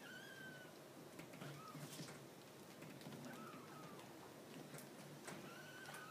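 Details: Ten-day-old purebred Maine Coon kitten, small and trembling, cries in a series of four short, high mews, each slightly sliding downward, spaced about a second or more apart, with soft rustles and ticking handling noises between them.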